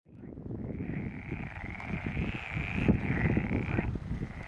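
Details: Frog chorus at the Stagno di Pilo pond: a dense, fast patter of low croaking pulses overlapping throughout, with a thin, steady higher whine running above.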